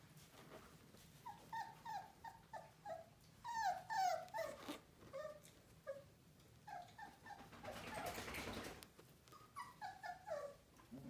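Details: Female Aussiedoodle puppy, black and white, the smallest of its litter, giving rapid high whimpers and short yelping whines, each dropping slightly in pitch, in uneven bursts, with a brief rush of broadband noise partway through.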